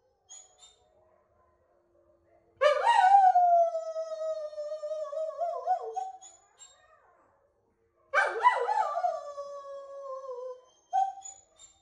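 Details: Female Noble Shepherd wolfdog Yumir, a gray wolf and German Shepherd hybrid, gives two drawn-out howls, a four-second one and a shorter one, both starting sharp and sinking gradually, with a faint short note afterward.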